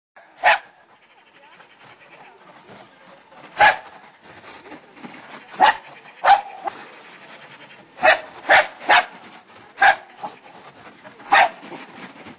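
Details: Two terriers, a Welsh Terrier and a Lakeland Terrier, going bonkers in excited play; sharp single barks burst out irregularly, about nine over twelve seconds, some in quick pairs, with quiet rustling between.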